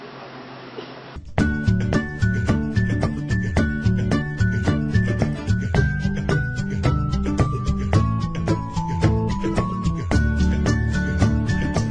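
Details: Upbeat music with plucked, xylophone-like melody and steady beat follows a second of quiet room noise; no animal sounds.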